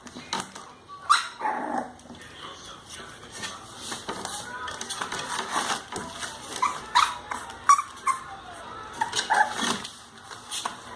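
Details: English Bulldog puppies Kala and Ada, 32 days old, give a run of short high squeaks and whines scattered through the recording, some louder yelps among them, with human speech and shuffling in a small room.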